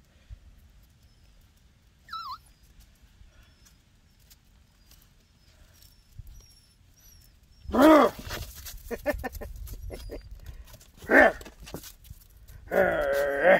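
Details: Miniature Pinscher puppies, eleven weeks old, outdoors in snow while playing; loud harmonic whining yelps in bursts around eight, eleven and thirteen seconds after a quiet stretch, with a few faint high bird chirps in the background.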